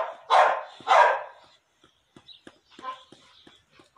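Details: Female Pit Bull in heat after mating: two loud, rough barks in quick succession, then quiet clicks and faint shuffling.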